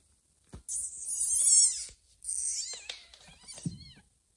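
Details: Domestic cat family: a mother cat with two newborn kittens, carrying a kitten to a hidden, safe place. Two thin, high-pitched mews rich in overtones, the first long and wavering, the second shorter, then a brief low grunt.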